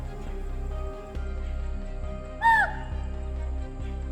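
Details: A male chital in Bandhavgarh National Park, India, gives one sharp, shrill, slightly falling meeting call, similar to an alarm call, challenging rival chital and gathering females, over steady background music.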